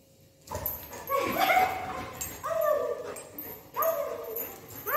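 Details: Golden retriever playing with its owner, giving three drawn-out, tonal whining cries at roughly even intervals, each bending slightly in pitch, with a noisy, rustling background between them.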